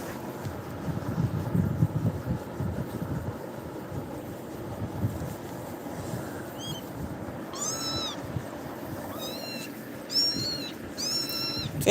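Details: Scared kitten calling out in fear: after several seconds of rustling and handling noise, a burst of short, bright, bending meows comes in quick succession toward the end, with a woman speaking Tamil nearby.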